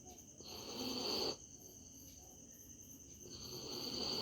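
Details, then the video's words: Sleeping dog Misti, resting comfortably, gives a hissing, rasping snore roughly a second long, then after a quiet gap a second breathy snore builds, with crickets whining steadily in the background. "Snoring dog"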